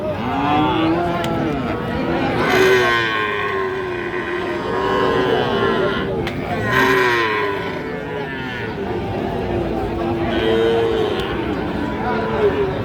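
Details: Farm-suited Sahiwal calves for sale at a market: several short, bending moos rise and fall among overlapping human voices and general crowd noise in an outdoor trading setting.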